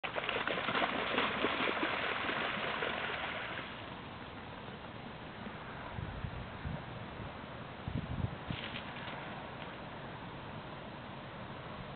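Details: Broad rushing water noise, loud for the first four seconds and then softer, with a few low thumps and brief hissy bursts; no animal voice stands out.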